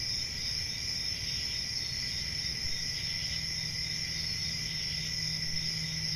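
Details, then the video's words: Summer-night crickets in the countryside giving an unbroken, even, high-pitched shrill trill over a lower buzzing band, backed by a faint low hum and rumble. "Relaxing Cricket Sounds For Sleeping | Ambient Summer Night Sounds"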